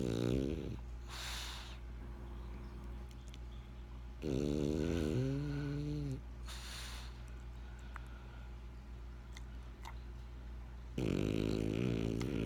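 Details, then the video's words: Benjamin, a French Bulldog, asleep and snoring: deep, rattling nasal snores in long drawn breaths, a loud one at the start, another around four seconds with a rising wheezy tone, and a third near the end, quiet breathing between. "French Bulldog Snoring"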